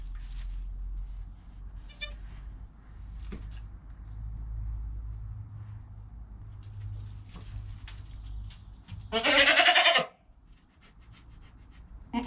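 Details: Harsh, loud, drawn-out cry of about one second from Joel, a goat kid born under an hour earlier and filmed by GoPro with his calm mother Penny, after faint short bleats and soft low-frequency rumbling.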